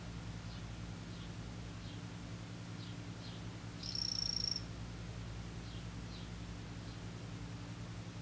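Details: A single high-pitched, rapidly pulsed buzzy trill of about half a second from a male imitator poison frog, 'green' form. A constant low droning hum runs underneath and a few faint clicks are also heard.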